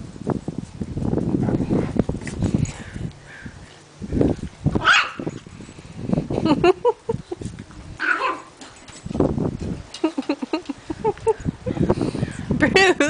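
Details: Eight-week-old Shih Tzu puppy Sho-Pow showing who is boss to a Poodle, Ben, and an adult Shih Tzu, Bruce, who back off scared; scrappy growly bursts and short barks, with high rising whiny yips near five, eight and twelve seconds.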